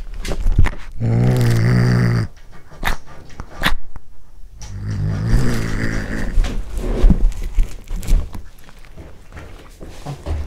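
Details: Cat growling while eating corn for the first time: a low, harmonic growl lasting about a second, followed by wet chewing, crunching and smacking with a fainter rumble underneath.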